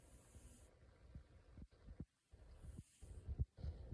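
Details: Sleeping cat snoring and talking in its sleep: soft, low, rumbling breaths in irregular pulses, broken by short silent gaps, with a faint hiss at the start and near the end.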